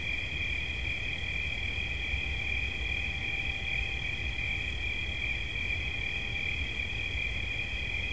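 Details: Cricket chirping in a steady, unbroken high trill, with two bright pitch bands that stay level throughout, over a soft low rumble in the background.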